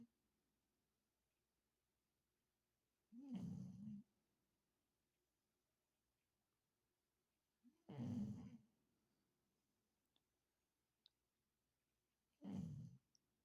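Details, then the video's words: Snoring from Bryson the dog: three low, raspy snores spaced roughly four to five seconds apart, each a short rumbling burst, separated by near silence with a faint indoor hum. "Bryson snores"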